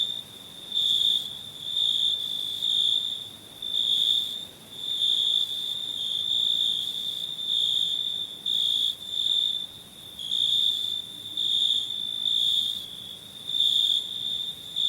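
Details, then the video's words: Summer cricket song captured for a free sound pack, a shrill sustained trill pulsing in loud bursts about once per second over a quiet background. "Cricket Sounds"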